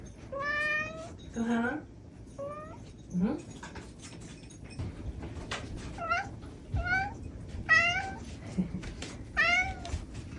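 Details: Former stray cat, about four years old and living indoors as a house cat for a year and a half, giving a series of clear, rising-then-falling meows, some short and chirpy, about one every two seconds, with a woman speaking softly between them.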